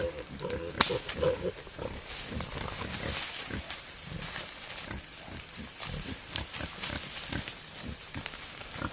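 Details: Male wild boar courting a female in the wild, giving rapid, low, rhythmic grunts in close succession, over loud crackling and rustling noise as from movement through dry vegetation.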